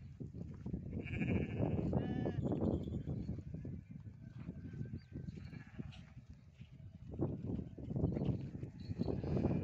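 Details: Farm goat during hoof trimming, giving two short wavering bleats in the first seconds, followed by steady low handling and scraping noise throughout.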